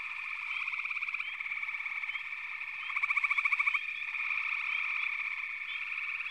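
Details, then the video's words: Massed frogs calling together, giving a steady drone of pulsed buzzy trills with short rising chirps, and one louder trill bout standing out near the middle. "FROGS - Pig Frogs, Water Frogs, Backwater Chorus, & Frog Chorus"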